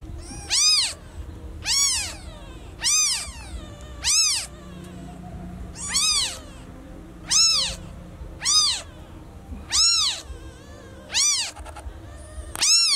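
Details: Newborn kitten meowing loudly for its lost mother: a run of high, arched mews, each rising then falling, about eleven in thirteen seconds at slightly uneven intervals, with a faint low hum behind.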